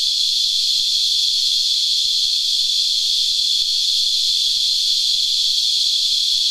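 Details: A shrill, unvarying buzz-whine from sap-sucking cicadas, the Christmas beetles of local usage, fills all six seconds while they feed on a tree, loud and continuous with light clicks in the background.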